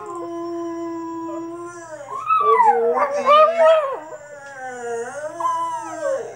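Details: Cavalier Spaniel–Papillon cross dog on its first attempt at howling: a long steady tone opens, then wobbling, sliding howls rise and fall, easing into a lower drawn-out note.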